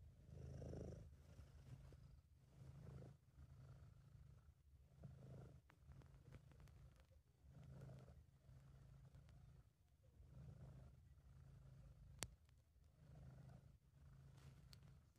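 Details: Contented purring of Sabu, a British Shorthair cat, recorded by an amateur: rhythmic low throbbing rumble pulsing with breaths every two seconds or so across the stretch, one sharp click late on.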